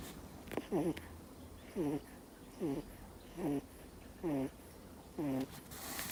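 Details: Two-month-old Miniature Schnauzer puppy fast asleep and snoring: squeaky, nasal, whistle-like snores with falling tones, six in a row at roughly one per second, over a low steady indoor hum.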